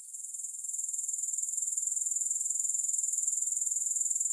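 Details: Grasshoppers producing a piercing, rapidly pulsing high trill that grows louder over the first second and then stays steady and even to the end.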